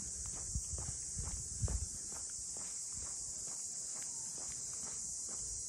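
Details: Continuous high shrill hiss of cicadas in the port town of Ine, north of Kyoto, Japan, among its Ine no Funaya boat houses, while heavy footsteps thud and scuff in the foreground.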